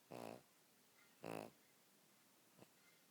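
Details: Pet pug dog sleeping and snoring: two loud, rasping snore breaths about one second apart, each lasting a third of a second, followed by quieter breathing and a faint click in a quiet room.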